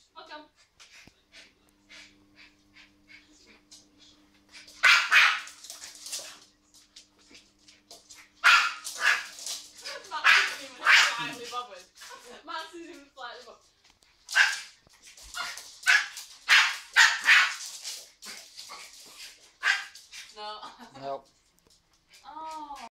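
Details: Young border terrier playing and catching bubbles indoors, letting out clusters of sharp, excited barks and yips in several bursts, with short whining tones between, while people talk in the background.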